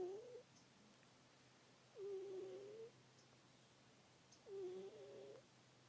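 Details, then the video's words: Indoor domestic cat, a female, deeply asleep and uttering small wavering squeaks and murmurs, each close to a second long with a brief tail, spaced about two and a half seconds apart against a faint steady hum. "Cute cat making cute noises while sleeping"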